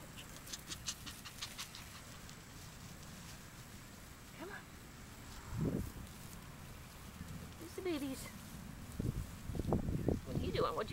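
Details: Maggie's five-week-old puppies whining: a few scattered rising whimpers, the clearest a cluster near the end, over steady low background rumble and faint rustling.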